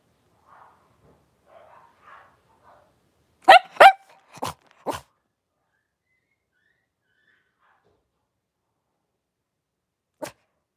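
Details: Five blenheim Cavalier King Charles Spaniel puppies with their mother Paris in a home puppy pen, January 2023; soft whimpers, then a burst of four sharp, loud barks, a pause, and one final bark.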